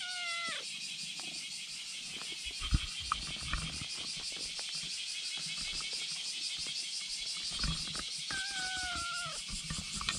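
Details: On a bridge, a kitten lying in front meows to summon a black cat behind it, which comes over; one short falling meow, then a longer level meow near the end, under constant high-pitched background hiss.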